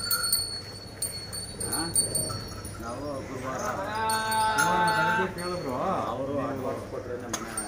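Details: Hallikar cattle, cows with calves, kept on a farm in Begur near Hulimavu, Bengaluru; human voices chatter, then a single drawn-out, even-pitched moo lasting over a second, and talking resumes.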